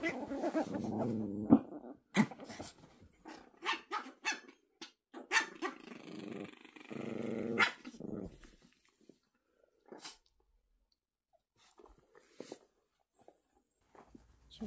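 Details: Indoors, a Poodle puppy fights another dog for a ball before hiding it in a blanket; rumbling growls mixed with clicks and scuffling, then a quieter stretch with sparse knocks.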